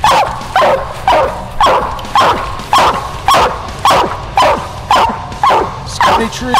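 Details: Steady, evenly spaced barks from Widow Maker, a coonhound sired by two-time world champion Grays Rack Em Willy, out coon hunting; loud chopped barks come about twice per second, with a handler's voice faint in the background.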